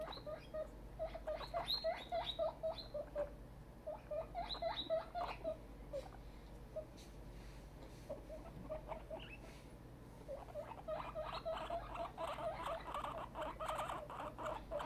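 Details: Excited guinea pig named Tiny, a grown female, squeaking in quick bursts of short upward notes, pausing mid-clip with soft rustling, then a dense run of loud squeals near the end.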